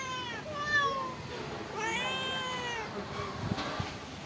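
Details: Pagoda stray cats fed rice and fish: a few short meows followed by one long, arching, strongly harmonic meow, with light clatter afterward.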